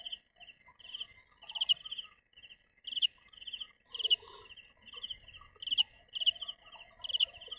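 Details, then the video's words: Cricket chirps, high and trilled, coming in quick uneven bursts with a few louder sharp ones, a steady faint whine behind and occasional soft rustling. "Tiếng dế mèn gáy"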